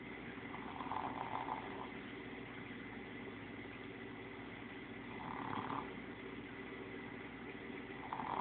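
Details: Boston Terrier named Bently snoring while asleep, napping beside Starr, a min pin/chihuahua mix, and Gizmo, a sphynx cat; soft raspy snore breaths recur roughly every four seconds over a steady low background hum.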